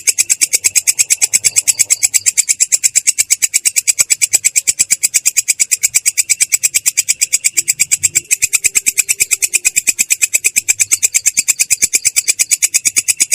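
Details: Katydid (belalang kecek) in a continuous rolling "ngerol" trill, clear and harsh in tone: rapid, evenly pulsed bursts of high buzzy chirps, about three a second, running unbroken throughout.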